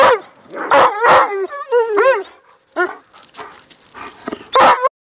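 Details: Alaskan Malamute giving short yelps and whiny, wavering woo calls that rise and fall in pitch, broken by brief pauses and softer breathy sounds.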